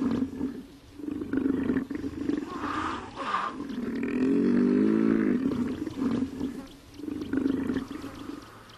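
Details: Hippopotamus calling with deep, rhythmic grunting bursts that swell into a long, loud, drawn-out honk midway, then fall back to pulsed, throaty grunts repeated in short rolling series.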